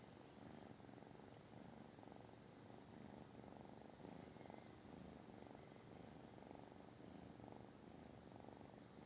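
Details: British Shorthair cat purring steadily, a low rumbling throb pulsing in even cycles of roughly a second, continuous throughout with faint higher hiss above.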